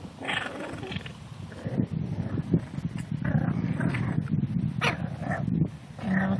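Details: Seven-week-old English Bulldog puppies playing outside in grass for the first time; low rumbling grunts and growls come in irregular bursts, with a few brief higher yips breaking through.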